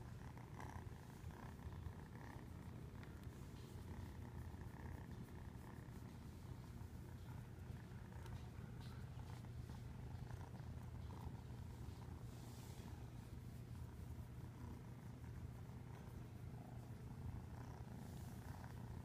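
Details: Long unbroken purr from a fluffy cat, a deep rapid rumbling hum holding steady for nearly twenty seconds, with occasional light rustles and soft clicks over it.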